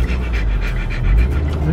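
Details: At a dog park, Siberian Husky puppies visiting for the first time with their mother and father; quick rhythmic panting breaths roughly four per second, with heavy low rumble from wind or handling.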